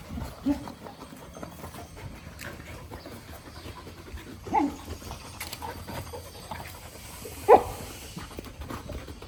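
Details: Angry dog letting out three separate short barks spaced several seconds apart, the last the loudest and highest, over a quiet background.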